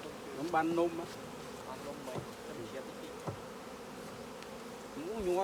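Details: Honey bees around an opened hive during honey harvesting, a steady mid-pitched droning buzz with wavering whines of individual bees flying close, and brief talk in Khmer.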